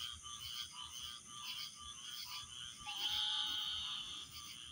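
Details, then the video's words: Frogs chirping together as a dense, continuous chorus of high trilled notes, one brief thin whistled tone rising out of the mass near the end. "chirping frogs"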